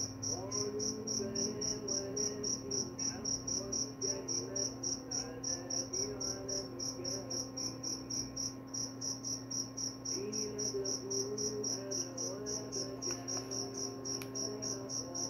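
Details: Cricket calling, presented as sound to help sleep and drive away mice; rapid high chirps repeating about four times a second throughout, over a constant low hum with faint wavering low tones and a brief click near the end.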